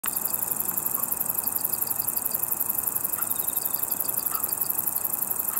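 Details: Ruspolia interrupta conehead katydid, green and brown forms, singing a continuous, very high, finely pulsed buzz that runs unbroken through the whole recording, with faint short ticking notes from other insects mid-range.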